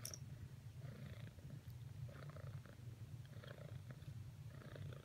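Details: Domestic cat named Cricket purring while trying to cuddle with another cat, Whisper; a steady low rumble continues throughout, with faint irregular bursts of breath-like sound above it.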